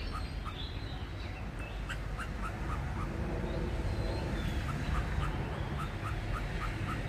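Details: Rapid chipping from an Indochinese ground squirrel at its nest, about three and a half short notes per second, uneven in spacing. Faint higher chirps and a constant low outdoor hum underneath.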